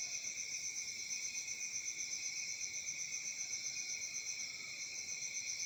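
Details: A summer-night cricket chorus recorded in Africa: continuous high-pitched chirping that throbs at roughly four pulses per second, even and unbroken, with no other clear sounds.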